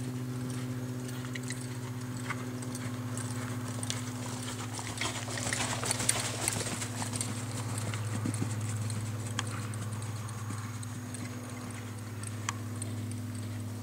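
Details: American Quarter Horse gelding born 2007, a reining horse offered for sale, moving with clip-clop hoofbeats: sharp irregular knocks, busiest midway, over a steady low droning hum.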